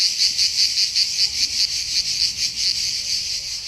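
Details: Cicadas in summer give a loud, shrill buzzing song that pulses steadily, about two or three surges each second.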